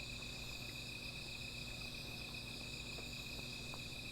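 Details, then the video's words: High, unbroken insect trilling fills a night scene at a small fire, several shrill tones sustained together, with a soft low hum and a few faint ticks in the background. "Sound of Insects"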